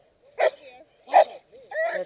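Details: A puppy during protection training gives two short, sharp barks followed by a higher, drawn-out yelping whine, recorded close with little background noise.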